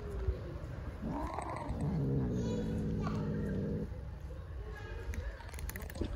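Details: Friendly stray cat on an Istanbul street, talking to a person: a long, drawn-out, wavering meow with rich harmonics lasting about two and a half seconds, over a steady low background hum.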